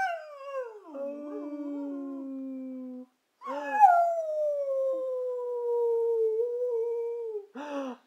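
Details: Brindle Boxer dog singing indoors: two long, smooth, mournful howls, the first dipping then holding steady, the second sliding slowly downward for about four seconds, with a short yelp-like burst at the end.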